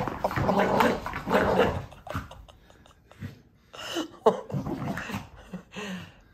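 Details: Scottish Terrier Rory having a tantrum indoors while his owners are away: gargling, grumbling growls and throaty mutters in uneven bursts, with loud rough vocalising at the start and broken grumbles throughout.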